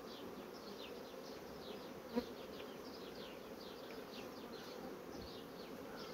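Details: Honey bee colonies that rapidly draw out foundation sheets, heard as a steady, dense low hum from many bees with a faint whining overtone and one sharp click midway.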